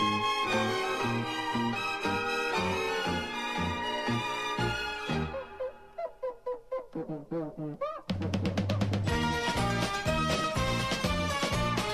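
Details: Upbeat instrumental music with brass and drums, dropping to a plucked passage before the full band returns.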